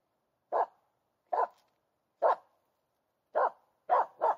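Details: Aamu Tähti, a female Finnish Spitz, barks at a hidden squirrel in a lush, overgrown local forest on 13 August 2022, hunting on instinct. Six sharp, short barks come at uneven intervals, the last two close together, over a quiet background.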